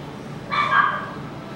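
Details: Pomeranian at a pet shop in Nagahama letting out a single drawn-out, high, whiny yip lasting about half a second against quiet background hiss.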